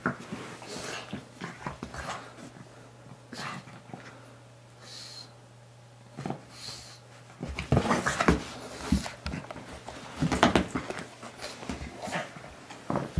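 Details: Moo Man, a pet pug, tussling with a guinea pig toy indoors, with angry wobbly chugs; snorting and snuffling at first, then a stretch of rough, repeated growls and grunts amid handling noises.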